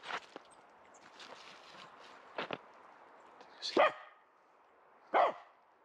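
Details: Female dog wearing a protective cone after a right leg operation, chasing squirrels in a local forest in December 2021: two sharp, loud barks over a few seconds, with scattered faint clicks, rustling and footsteps.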